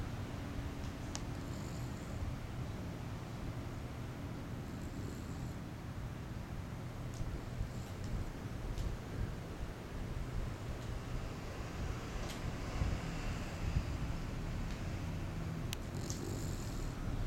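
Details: Sleeping 4-month-old English Bulldog puppy indoors, snoring: a steady low rumbling drone with soft hissing breaths that recur every few seconds, plus faint rustles.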